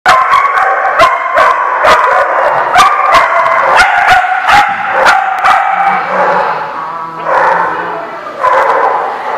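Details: Dogs recorded on September 29, 2017, bark sharply and rapidly, short clipped barks tumbling over one another, about three per second early on, then a lower sustained whine and a pause before the barking resumes.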